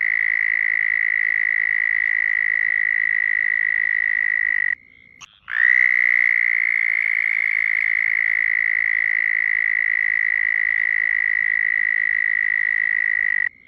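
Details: A sustained, even, high-pitched frog trill from a compilation of different frogs. The buzzing tone holds steady for nearly five seconds, breaks off briefly with a short rising start, then continues unchanged to the end.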